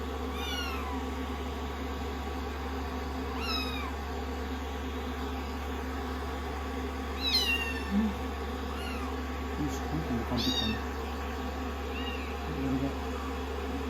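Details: Rescued kittens on a lap during blow-drying after shampoo, day sixteen of their growth record, cuddling up affectionately; repeated high, bending kitten mews every two to three seconds cut through a constant hair-dryer rush, with a brush rustling against fur.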